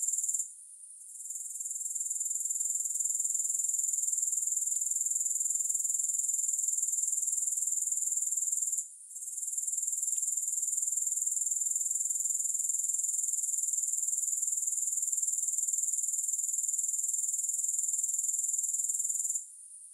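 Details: High, sizzling grasshopper buzz held almost without pause, faintly throbbing about four beats a second, interrupted by three short drops in loudness; no music.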